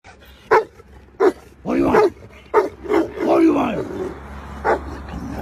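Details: An aggressive Bandog giving short, rough barks and deep growling, drawn-out vocal sounds spread irregularly across five seconds, with human voices mixed in.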